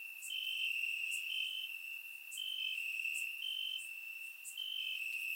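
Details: Night chorus of crickets in summer grass, Bulgaria, recorded in surround sound: constant high-pitched trill with stepped higher notes and sharp clicks spaced about a second apart, gently swelling in loudness.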